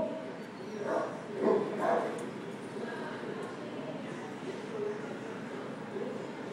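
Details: Goose, a Great Dane, shown with his baby sister Libby; a short run of three quick, low barks near the start, then quieter background with faint voices.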